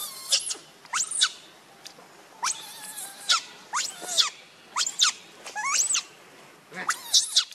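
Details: Hungry baby monkey Rainbow screaming for its mother's milk: piercing squeals that rise then drop, coming in separate bursts about every second, with brief quiet gaps between outbursts.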